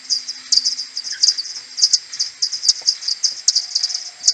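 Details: Common pipistrelles from a maternity colony heading back to the roost in the morning, 21 May, AudioMoth, playback slowed ten times: clustered high chirping pulses in quick irregular bursts, many bats overlapping.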